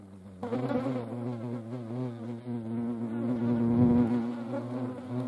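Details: European hornets (Vespa crabro) fighting each other: a loud, steady low droning buzz with rich harmonics, starting abruptly after a near-silent half second and swelling slightly louder toward the end.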